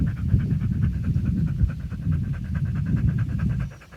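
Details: Male dog panting loudly in very hot weather while resting under a tree in its home town: rapid, rough breaths pulsing steadily and densely, several per second, low and breathy throughout with no other clear sounds.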